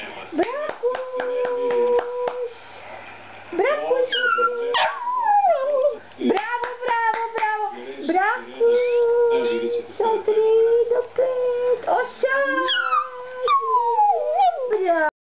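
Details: Indoor Lhasa Apso Shih Tzu dog howling and yelping in broken, swooping tones mixed with short sustained wails, interleaved with a person's encouraging voice and sharp clicks throughout.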